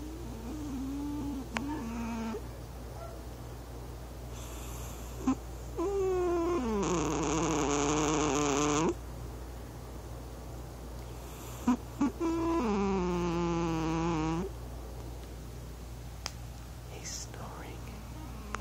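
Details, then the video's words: Male domestic cat in deep sleep on an owner's lap indoors in the dark, snoring for the first time. Two long, nasal, droning tones rich in overtones, each about two seconds, rise and fall over a steady low hum and a few soft clicks. "Robocop Sawing Logs (Snoring Cat)"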